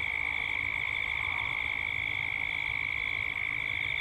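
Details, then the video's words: Dusk in Gippsland, Australia, with cicadas calling together: a constant piercing buzz with a rapid, regular throb and no breaks. "Cicadas at dusk"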